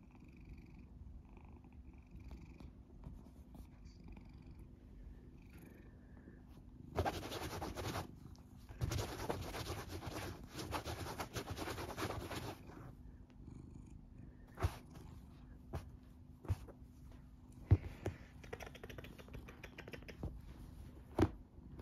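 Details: Loud steady purring from Matisse, a huge golden tabby Scottish Fold, as he is played with and teased. A low continuous rumble runs throughout, broken by a burst of rustling and rubbing noise in the middle and scattered taps toward the end.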